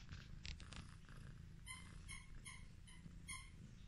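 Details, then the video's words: A female Highland Lynx cat, very affectionate and fond of being petted, purrs with a steady, low, rumbling vibration. "The relaxing sound of a cat purring"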